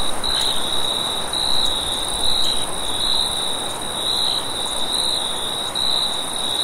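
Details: Crickets chirp at night in a vast wheat field, a steady high-pitched trill over a broad rush of wind.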